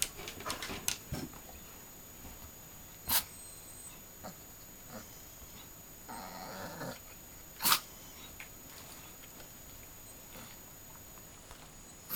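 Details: Elderly 14-year-old female dog making demand sneezes for her dinner: two crisp explosive snorts several seconds apart, a brief soft whine-like murmur between them, and light rustling.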